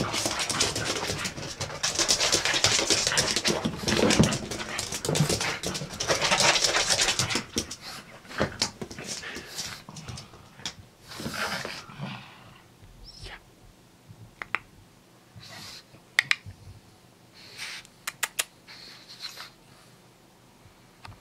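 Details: Pugsy, a pug just home from a walk in the park, pants and snuffles loudly and continuously for about seven seconds. The sound then breaks into sparse separate snorts and clicks with quiet gaps between them.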